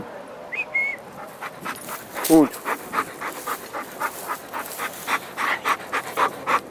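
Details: A schnauzer dog, a pet, gives a short rising whine followed by steady rhythmic panting breaths, with a brief voice at the start.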